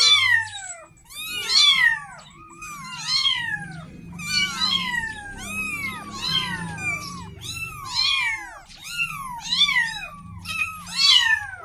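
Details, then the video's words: Kitten calling to its mother for milk, its loud, bending meows bursting out in bunches roughly every one and a half seconds over a steady low rumble in the background. "Suara Kucing meong-meong"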